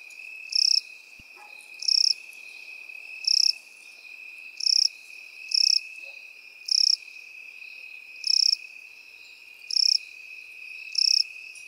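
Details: Crickets and grasshoppers singing in field grass: evenly spaced high chirps, eight bursts about 1.3 seconds apart, layered over an unbroken thin insect drone, one brief click early on.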